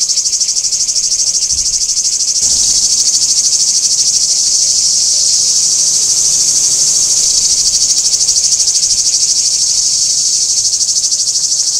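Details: Cicada chorus recorded at Kardamyli in 2013: an unbroken, shrill, rapidly pulsing buzz that stays level from start to finish, with one brief low thump early on.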